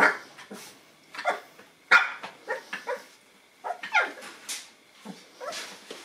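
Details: Nine-week-old Boston Terrier puppies meet a new toy indoors, giving a burst of short high yips and squeaky barks, irregular and overlapping, about every second or two.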